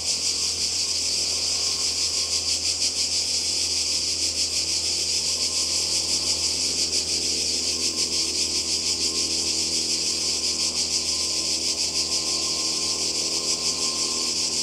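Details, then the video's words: Cicadas by the sea in Croatia in summer 2020, a dense high buzzing chorus, steady and loud, pulsing about three times a second throughout, with faint low hum beneath. "Kroatien Zikaden und Meer"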